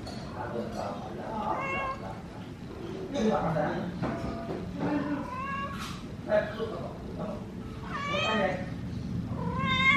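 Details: Mother cat and kitten meow as the kitten sits stuck in a cardboard box, the cats asking for help to get it out. Several rising-falling tonal meows come in short bursts, mixed with people talking nearby.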